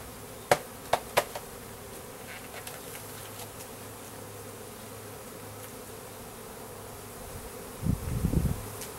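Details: Russian/Carniolan hybrid honey bees, a three-pound package of about 10,000 workers with one queen, being installed in a new hive in April 2012; a faint steady hum runs throughout, broken by sharp clicks early on and a low thump near the end.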